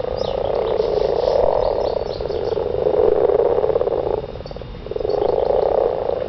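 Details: Garden frogs calling during mating, loud rattling trills in long swelling bouts of about two seconds separated by brief quieter dips, the pulses running together into a buzzy mid-pitched hum.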